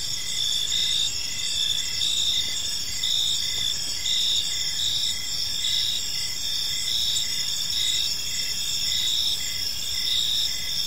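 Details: Crickets sing through the evening in a park, a steady shrill multi-layered chirping that pulses gently and evenly, with low, soft background noise throughout.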